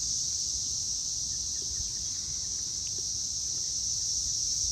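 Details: Evening cicada chorus, May 24, 2024, 6:00 pm: a loud, unbroken, high-pitched buzzing hiss holding at an even level throughout, with only a faint low rumble of background noise.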